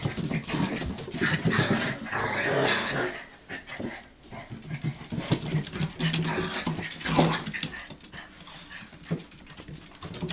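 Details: Hokkaido puppies aged 65 days, offspring of Hana, on 18 February 2011, unsure whether to go down; fast rhythmic panting around four breaths a second, with bumps, rustling and some speech in the background.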